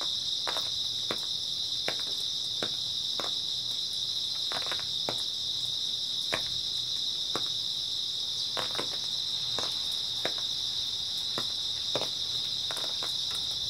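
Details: Early autumn night chorus of grass insects: an unbroken high buzzing trill fills the air while brief crackling ticks come every second or so at uneven intervals.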